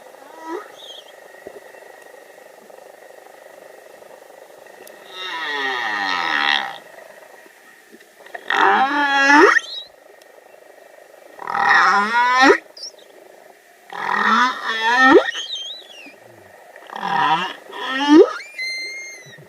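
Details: Humpback whale (Megaptera novaeangliae), song.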